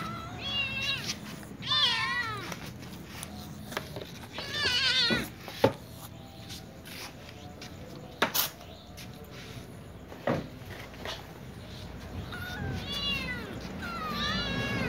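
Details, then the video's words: Little ginger cat and young white cat among other cats begging for food; clusters of wavering, harmonic meows at the start, around five seconds and near the end, separated by sharp clicks and knocks. "Little ginger cat meows with young white cat asking for food with other cats too"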